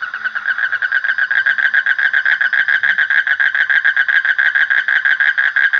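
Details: Frogs producing a steady, loud, rapidly pulsed croaking chorus, its mid-pitched rattling notes repeated several times per second with no pause.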